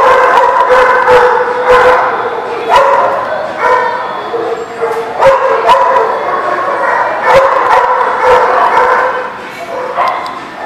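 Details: Dogs at a kennel lot bark nonstop on 15 February 2019. Many overlapping voices give sharp, tonal barks and yips in quick, uneven succession, with sustained yelping notes between them and no pause throughout.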